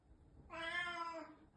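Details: Single drawn-out, richly harmonic meow from a black house cat missing a housemate who moved out days ago, steady then slightly falling at the end, in a quiet indoor room.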